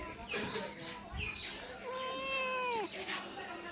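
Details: Domestic cat that refused cake meows when its owner tells it to sing its song; a long, drawn-out meow that rises then falls over about a second, with the owner speaking Bengali before and around it.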